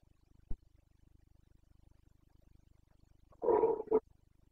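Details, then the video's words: Carpathian red deer stag in the Bucovina mountains during the breeding-season rut (boncănit), 29 September 2022: after a sharp click, a loud, hoarse roar of about half a second, then a short second burst, over a steady low hum. "Boncănit / Carpathian stag Breeding season"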